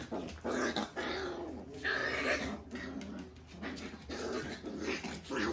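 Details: Standard Shiba Inu puppies being weaned, eating solid food yet still missing milk; indoors, several overlapping whiny, grumbling vocalizations in bursts, with rustling handling noises.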